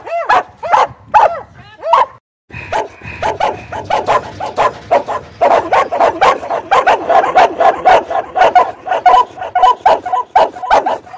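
An Australian Cattle Dog barks in quick, sharp bursts, about two barks every second.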